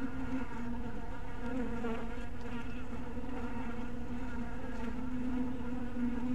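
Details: Massed wingbeats of honey bees at a bee house in evening light, a thick steady drone whose pitch wavers slightly, with layered higher harmonics and a few faint ticks.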